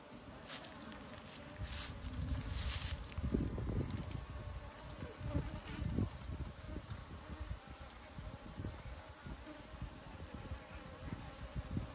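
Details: Asian honey bee buzzing: a low, droning hum with irregular louder surges, strongest between three and six seconds, over a steady background with faint high constant tones throughout.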